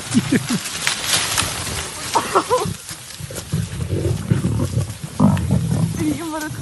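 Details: Tree-climbing lions catching prey, heard in a noisy scuffle of deep growls and sharp, strained snarls, several rapid bursts early, then rumbling and a wavering snarl at the close.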